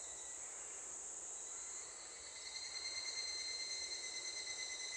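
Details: Evening cicada (higurashi) that has already begun calling, heard near a school. It gives a shrill, sustained ringing tone with higher overtones. The sound grows louder and starts to pulse slightly partway through.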